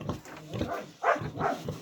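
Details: Pigs on a small Romanian micro-farm at feeding time, grunting in short rough bursts, about four over two seconds, the loudest near the middle, with low background noise.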